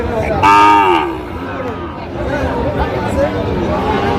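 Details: Sahiwal cattle at a cattle market on 19 December 2025, where a Tangail farmer buys a Sahiwal bull calf; one loud, brief harmonic moo of about half a second, then a low crowd murmur and faint calls from other cattle.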